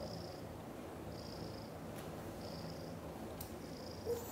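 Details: Cream, a happy British shorthair kitten, purring while cared for by two mother cats: a steady low rumble runs throughout, with soft breathy bands returning about every 1.2 seconds and no meows.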